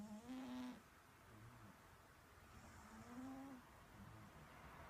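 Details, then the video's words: Domestic cat snoring: two nasal, whistling snores about two and a half seconds apart, each a short steady hum with bright overtones, followed by softer breathy exhalations in a quiet room. "Snoring cat"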